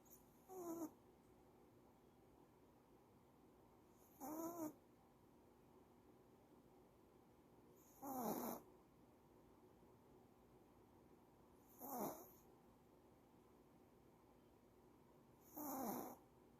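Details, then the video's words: Sleeping female dog, apparently tired, snoring indoors: five raspy, breathy snores with wavering tonal whine, evenly spaced about every four seconds, each lasting under a second, quiet room between them. "Snoring dog, maybe she is tired"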